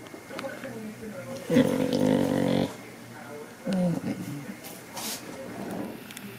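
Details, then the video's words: Zoey, a one-and-a-half-year-old blue merle Border Collie female, vocalizes indoors to beg for petting: a drawn-out, tonal moaning whine lasting about a second, then a shorter whine, with a man talking and faint music. "Listen and See Zoey the Border Collie use her cuteness and voice to beg for attention"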